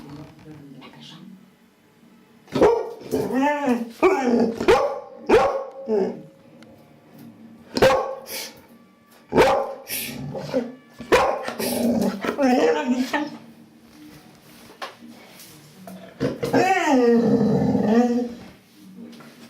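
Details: Luna, a female Labrador Retriever aged one year two months, indoors, gives bursts of short harmonic barks and drawn-out arching whine-like yowls in clusters, with a woman speaking French between them.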